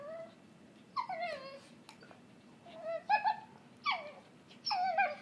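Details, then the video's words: Cookie the dog squealing during play with Bane indoors, a string of high whiny yelps that slide downward, coming in bursts about every second with short pauses between. "Weird dog noise"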